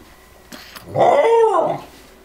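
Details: A Corgi being taught to ring a bell to go outside to potty gives a single drawn-out whimper lasting about a second, a whiny tone that rises slightly and then falls away, indoors with faint background noise.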